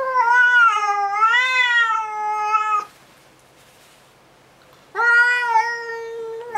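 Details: Frightened house cat with raised fur and puffed tail, calling loudly early in the morning at a stray cat outside the window: two drawn-out, wobbling meows separated by a two-second pause, the first nearly three seconds long.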